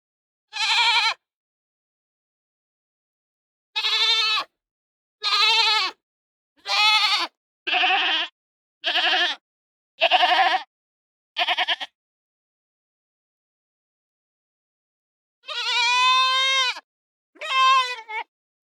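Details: Kids bleating repeatedly: a quick run of short, strained, nasal bleats about one per second, then after a pause two longer, higher, tremulous cries, with nothing else heard.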